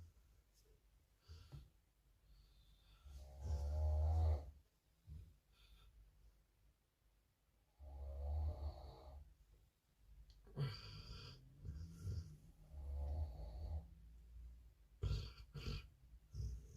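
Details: Pit bull asleep and snoring, with loud, low, grating snore breaths at irregular intervals, some drawn out for a second or more, separated by quieter breathing and short silences.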